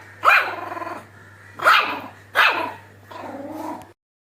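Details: A Shih Tzu puppy gives four short, yappy, rising-then-falling vocal bursts with a slight growl, described as a laugh.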